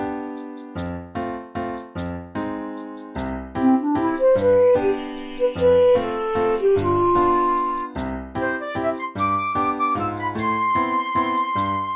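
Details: A bouncy electric piano tune with a steady beat and light jingling accents plays throughout.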